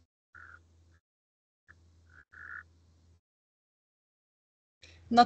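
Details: A male Natterjack toad calling after dark with its white vocal sac inflated, during a 2023 amphibian and reptile survey in Curonian Spit National Park, Lithuania: short, rattling mid-pitched bursts separated by pauses, then a brief human voice at the end.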